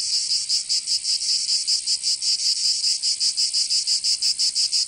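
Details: Cicadas singing in summer in Provence, southern France: a dense, high, buzzing rasp pulsing rapidly and evenly, about three throbs per second, continuous throughout with no other sounds.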